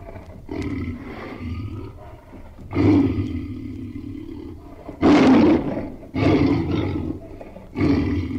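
A tiger gives five deep, rough roars, each lasting one to one and a half seconds, with short pauses between them.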